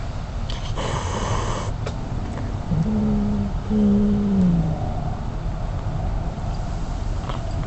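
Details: Wild mother cat with kittens, caught by a surveillance system over 50 ft from its base station: two low, drawn-out tonal wails a second apart, the second sagging in pitch at its end, over a steady low rumbling hiss.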